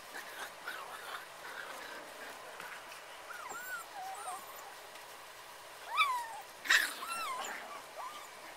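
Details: Puppies playing on their first time out, giving thin high whimpers and squeaky yips that bend up and down, with a louder pair of sharp yelps near the end over a soft background hiss.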